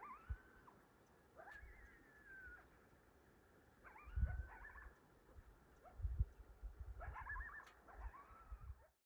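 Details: Distant bull elk bugling to their harems at dawn in Rocky Mountain National Park on a cold 38°F morning, recorded on an iPhone; several high, whistled, rising-then-sliding bugles, each one to two seconds long, with low rumbling background noise.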